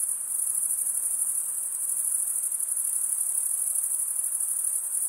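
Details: Forest crickets at night in summer, their massed chirping forming a constant, thin, very high ringing tone with a fine rapid flutter, uninterrupted and free of other sounds.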